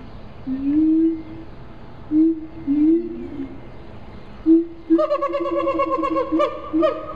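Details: Siamangs at Riverbanks Zoo, Columbia, South Carolina: a few separate low, rising hoots with pauses between them. After about five seconds, a fast run of loud, ringing, harmonic barks begins over the continuing hoots.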